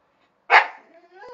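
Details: Pet dogs Chester and Laika argue after being told to get off a terrace they are not allowed on; a single loud, sharp bark bursts out, then fades into a lower, drawn-out tone, with a person scolding in Romanian around it.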